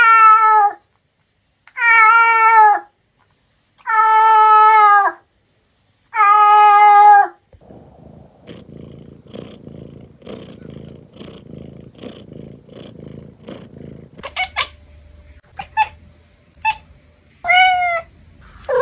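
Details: Cats from Douyin: four long, even, harmonic meows evenly spaced, then a low, rough, pulsing purr for several seconds, ending with short, sharp, high meows and a few clicks.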